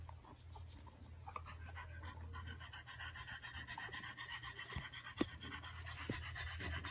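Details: Dog panting in quick, breathy rasps through a steady low hum, with faint tonal bands higher up and a sharp click partway through.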